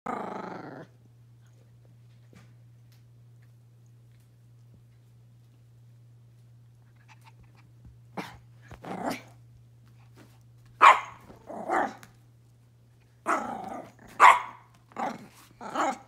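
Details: Pomeranian puppy indoors giving short sharp barks in small clusters from about eight seconds on, after a brief opening voice and a long quiet stretch; a steady low hum runs underneath.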